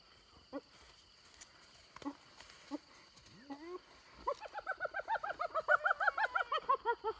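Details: Near Selati Camp, hyenas squabble over an impala kill taken from the leopard Little Bush and her cub. A few scattered yelps are followed by a long, fast run of high, chattering giggles that rise in pitch.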